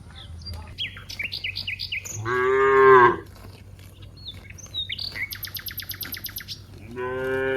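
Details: Cows in a wide rice field give a loud, falling moo, then a second moo begins at the end; between them, birds chirp repeatedly with high rapid trills and whistled notes.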